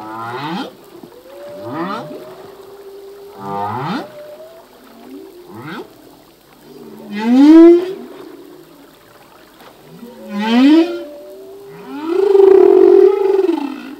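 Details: Humpback whale song from a male, whose songs change each year with newly learned phrases: a series of short swooping grunts and cries, followed by louder upswept wails and a long, strong arching moan at the end.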